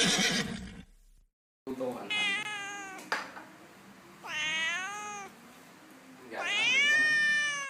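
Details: Domestic cat meowing in a funny animal compilation: three drawn-out meows, each rising then falling in pitch, over a low background hum, with a brief burst of other noise at the start.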